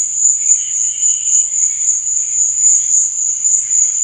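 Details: Cricket chirping at night: an unbroken, very high, shrill trill that pulses quickly and steadily, with a softer, lower shimmering buzz beneath it and no other clear sounds.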